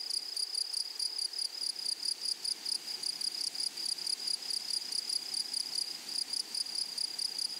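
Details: Grasshoppers in a flowery meadow: a high, thin, tonal buzzing trill broken into short pulsed bursts, roughly ninety-odd per minute, unevenly spaced, with a faint upper overtone and no other clear sounds.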